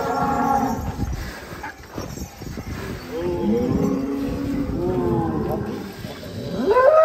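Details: Rossi, a giant champion cow, ridden by a child, gives a long, low, steady moo lasting about two seconds after a stretch of people talking; voices stay in the background.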